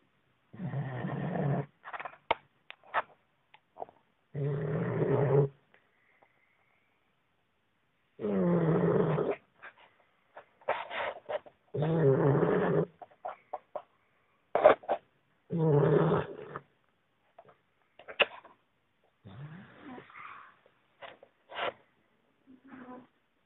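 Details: Sleeping 11-week-old Boxer puppy snoring at its owner's feet: deep, rasping, growl-like snores of about one to two seconds each, coming every three to four seconds, with faint clicks and small sounds between breaths.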